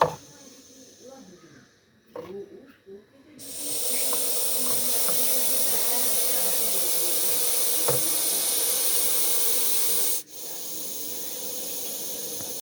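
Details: Daboia russelii, the Russell's viper or chandrobora sap, giving its warning hiss: quiet talking and rustling, then a strong continuous airy hiss bursts in and holds for about seven seconds before stopping suddenly, followed by a softer hiss.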